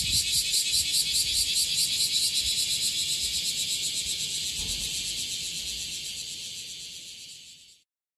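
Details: Chorus of bear cicadas massed on one tree in Okinawa: a harsh, high buzzing throb pulsing roughly two to three times per second, gradually fading over the final seconds before stopping abruptly.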